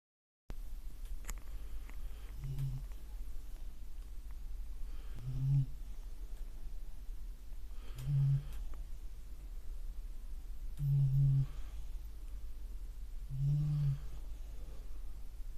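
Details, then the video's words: Sleeping beagle snoring indoors: five short, deep, nasal snores, each repeated roughly every two to three seconds, with a quiet room between them. "ビーグル いびきかいて寝てますｗ"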